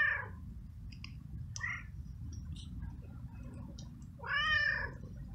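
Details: Very hungry stray street cat, found in the rain and eating flying ants, utters a short meow at the start and a clear drawn-out meow near the end, with small clicks between and steady low background noise.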